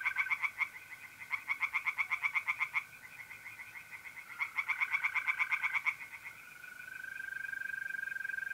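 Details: Night chorus of tree frogs at a pond in North-East Italy, mid-April: three loud bouts of rapid, evenly spaced rattling croaks, each about a second and a half long, separated by pauses, with a continuous mole cricket trill underneath.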